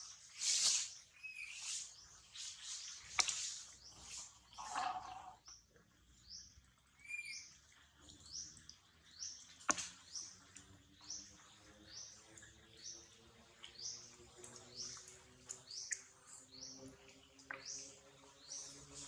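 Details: A baby monkey, Celine, taken by another little monkey from baby Calvin; a long series of short, high, downward-sliding squeaks repeated about twice a second, with a few louder cries early on and a faint low hum behind.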